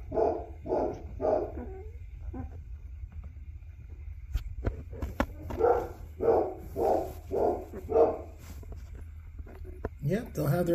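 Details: Two-week-old black Labrador pups, Hunny's winter 2023 litter in Colorado, USA, their eyes just starting to open. Rough, nasal cries repeat steadily, about one every half second, in two runs separated by a short lull, with handling noises at the end.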